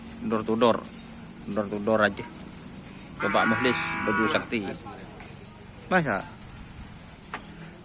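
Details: Karapan sapi racing cattle in training at the Asemanis field in Madura give a loud, sustained moo of about a second, rich in stacked overtones. Men's voices chatter before and after it.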